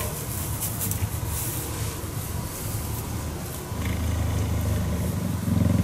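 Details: Deep pulsing purr from a cheetah being cuddled, fairly quiet and rough at first, then stepping up into a fuller, louder rumble for the last couple of seconds.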